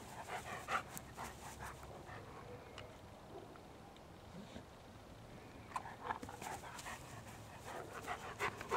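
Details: Male German Shepherd playing with his 7-week-old son in Huntsville, Alabama; quick bursts of breathy panting at the start and again near the end, with a quieter stretch between.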